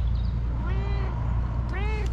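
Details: Domestic cat answering its owner with its distinctive meow: two clear, drawn-out, slightly rising-then-falling meows, the second shorter, over a steady low background hum.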